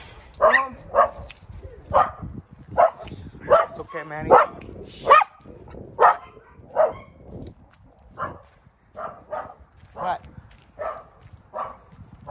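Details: A Maltese x Chihuahua confronting a mastiff keeps up high-pitched, sharp barks roughly every half second to second, some doubled, with a brief squeal near the middle and people's voices in the background.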